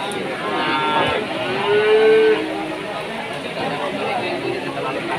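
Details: Cattle at a cattle market during light drizzle: one drawn-out, harmonic moo lasting about a second, partly masked by steady crowd chatter, background music and passing vehicle noise.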